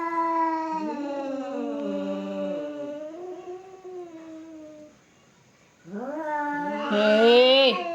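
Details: Two cats squaring off in a fight exchange wavering yowls that bend up and down, a brief silence, then a rising howl ending in a harsh hissing screech.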